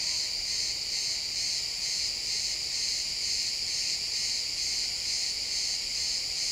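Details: Crickets in a pine forest at sunset, recorded in XY stereo, produce a high, dense chirping trill with a gentle rhythmic swell roughly twice a second, continuous throughout with no other voices.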